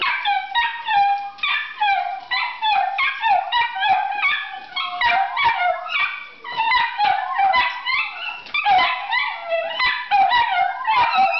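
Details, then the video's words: Chorus of pet Italian Greyhounds at home, 'singing' excitedly as they wait for their owner to return from work; dense overlapping high yodelling howls and yips, pulsing continuously with multiple dogs together. "Dogs Singing Italian Greyhounds"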